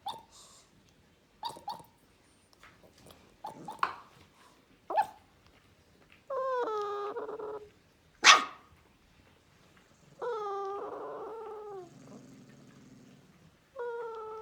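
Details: Guardian Central Asian Shepherd puppy barking in a quick irregular series of sharp yaps, then breaking into drawn-out, tonal howling whines that slide downward, repeated three times between further barks.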